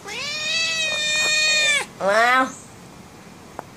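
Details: An angry female house cat meowing because she wants to go out: a long, level, harmonic-rich meow of nearly two seconds, then a shorter, rising-then-falling second meow; quiet room, a brief click near the end.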